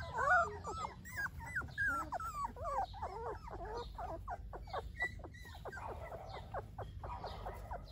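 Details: Several Golden Retriever puppies whimpering: a busy run of short, high, squeaky whines and yelps, some bending up and down, tumbling over one another in quick succession over a low background rumble.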